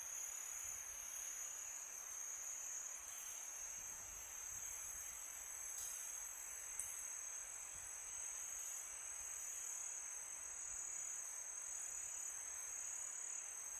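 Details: Summer-night crickets sustain an even, shrill high trill with faint layered trills above, a soft wind rush below, and a single brief click near the middle.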